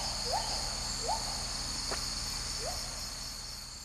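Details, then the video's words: Agile gibbons in Sumatran rainforest canopy, Indonesia, giving great-call notes: short rising whoops repeated about every three-quarters of a second, fairly distant, over a steady hiss of insects. "Gibbons sing "great call" in Sumatran rainforest"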